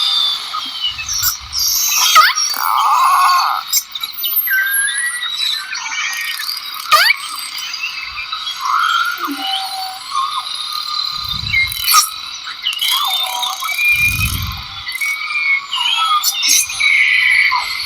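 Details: Dolphins underwater, played back as an example of dolphin signals: thin high whistles sliding up and down, overlapping, with scattered faint clicks and a few low thumps.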